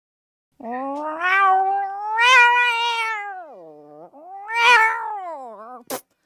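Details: A domestic cat yowls in long, drawn-out, wavering cries that rise and fall in pitch. Yowling is described as a call to attract a mate when in heat or a territorial warning, and is also given in pain, in fear, or after catching prey.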